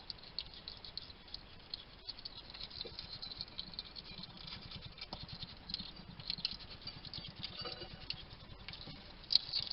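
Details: Wild hedgehog at a garden feeding station in Somerset, UK, chattering to itself while eating: faint, rapid, irregular clicking and smacking patter, with a few sharper high ticks near the end.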